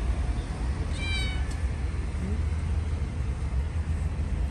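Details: Stray cats offered food by hand, which they quickly start eating; one short, clear harmonic meow about a second in, then only a steady low rumble of nearby traffic.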